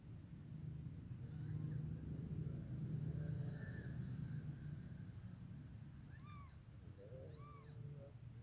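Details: Black mother cat with her baby kittens: after a stretch of steady low rumble, two thin, high, arching mews sound a second apart near the end, the second followed by a softer, lower whine.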